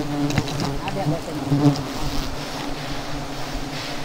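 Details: A disturbed honey bee swarm at a hive removal, seven hives in all. A fainter, steady low drone is heard with a few soft bumps and background hiss.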